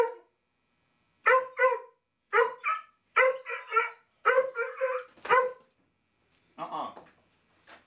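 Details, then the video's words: Stinky the Basset Hound, wearing a no-bark collar, gives short, loud, harmonic barks, mostly in quick pairs, about six bursts over five seconds, then a softer, rougher one after a pause; otherwise quiet indoors. "The Stinky Blog: The No Bark Collar"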